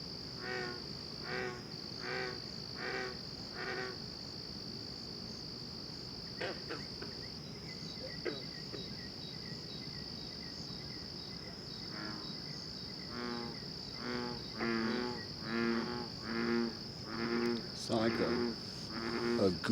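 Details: Frogs calling all night, their voices likened to a goose: bursts of nasal, harmonic honking notes in quick series, a quieter stretch mid-way, then louder overlapping calls building toward the end, over a steady high insect whine and brief male speech.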